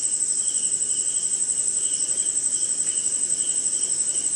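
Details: Night insects with crickets chirping in the rain in India, a continuous very high ringing tone over a regular pulsing chirp repeated several times a second, with soft rain noise beneath.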